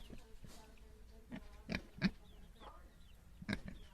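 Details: Little domestic pigs give short, rough grunts and snorts at irregular intervals, with faint chirps behind them.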